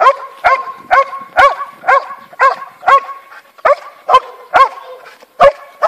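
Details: Belgian Malinois puppies, offspring of Brutus von house nichita and Fortune take me high, bark in quick high-pitched bursts roughly every half second, each bark clipped and bright, with faint background noise between.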